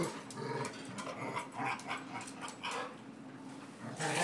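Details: Angry pet dog that doesn't like to be pushed around, giving a low rumbling growl that rises and falls in uneven bursts, with soft human voices talking alongside in an indoor setting.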